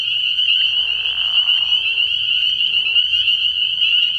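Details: Early-year frog pond at night: spring peepers produce a thick, shrill, steady chorus of high peeps, while lower grainy croaking sounds rise underneath in the first half and again briefly later.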